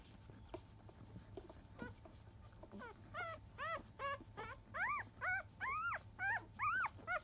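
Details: Field-line Labrador Retriever puppy, five days old, during the morning 10 a.m. feeding; starts with faint squeaks, then a regular series of loud arched whining yelps, about two per second, growing stronger.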